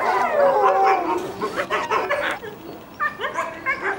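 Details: Captive red wolf family at the Tallahassee Museum, ten-month-old pups (three males, one female) and parents, howls in chorus in response to a distant ambulance: long wavering tones with higher broken yips and whines.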